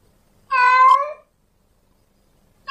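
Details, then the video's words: Male domestic cat in heat calling for a female: one loud, drawn-out meow of about three quarters of a second, rich and harmonic, level then fading, against near silence, with another call just beginning at the end. "Suara kucing Jantan Birahi memanggil kucing Betina"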